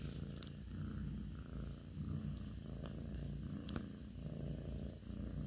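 A Russian Blue cat purrs steadily, a deep, continuous rumble that swells and eases with each breath.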